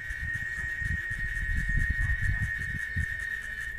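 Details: Cicada (chicharra) singing in Oaxaca, Mexico: a continuous, steady, high whining buzz held without a break, over irregular low rumbling thumps.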